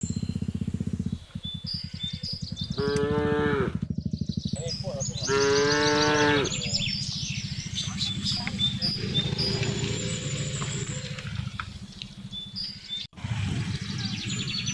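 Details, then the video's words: Village cattle driven home along a road in the afternoon, mooing to call the herd: two drawn-out harmonic moos mid-clip, under constant low engine-like rumble, with chirping birds and a brief dropout near the end. "suara sapi memanggil kawanan"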